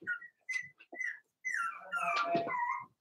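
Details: Daisy's four-week-old Cavalier King Charles Spaniel puppies inside their pen: thin, high whistled squeaks in quick bursts, then a longer wavering squeal that rises and falls, with soft rustling underneath.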